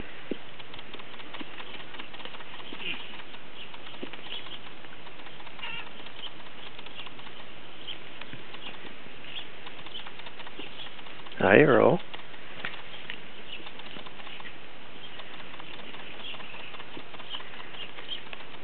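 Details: Farm goats coming out into their pasture give a single short, wavering bleat about two-thirds of the way through. A steady wind-like rumble and faint background noise fill the rest of the recording.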